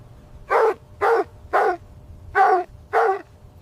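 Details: Dog barking outdoors on fresh snowy ground where puppies play with their mother; six short, harsh barks in two groups of three, roughly half a second apart, over a low steady background hum.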